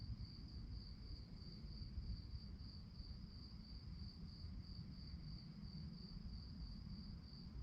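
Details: Crickets at night giving a high, rhythmic stream of chirps, pulses spaced regularly and unbroken, with a strong low rumble underneath.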